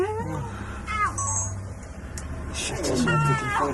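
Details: Lion cub calling out for its mother with quavering, falling cries at the start and a rising-then-falling wail near the end, while a person exclaims and music plays underneath.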